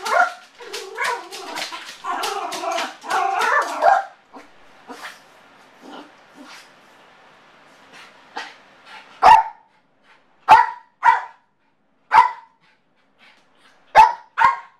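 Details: Motley, a Yorkshire terrier with separation anxiety left by himself, starts with a rapid whining, howling yap sequence, falls to faint whimpers, then fires isolated sharp barks every second or so.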